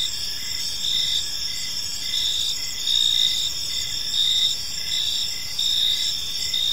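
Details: Park crickets at evening, their bright high-pitched chirring running without pause while brief louder bursts rise and fall irregularly every second or so, with only quiet low-frequency hiss behind.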